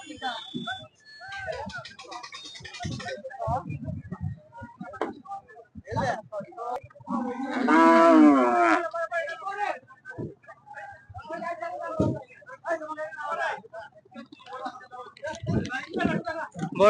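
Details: Cattle brought to a market: one long, drawn-out moo rising then falling, in the middle of steady human chatter and people calling to each other, with faint music in the background.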